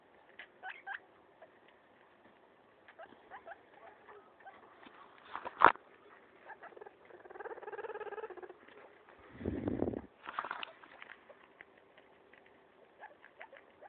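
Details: Maso, a pet guinea pig, destroying a leaf: soft, rapid crunching and nibbling clicks scattered throughout, a brief hummed tone near the middle and a low thump of handling shortly after.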